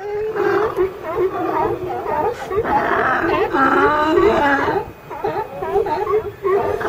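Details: California sea lions in a group, with a seagull perched on top of the pile; a dense chorus of overlapping hoarse, wavering barks and moans, nearly continuous for about seven seconds with a brief lull near five seconds.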